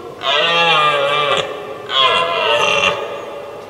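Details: Two rough, moaning roars in close succession, each around a second long with a slight drop in pitch at the end. A red deer stag is challenging a rival before the pair fight, recorded in 2023.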